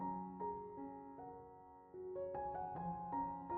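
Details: Soft piano music plays a gentle sequence of sustained notes, with no animal sounds.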